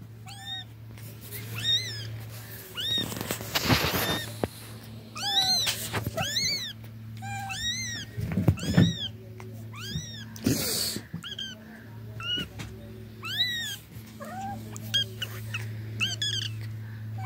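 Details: Cat giving a long run of short, high, arching meows, often several in quick succession with brief gaps, over a steady low hum and a few knocks and rustles.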